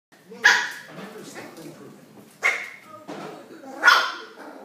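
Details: Pet dog barking at a new red toy, showing it who's boss; three sharp barks spaced about 1.5 seconds apart, with a man's encouraging voice between them.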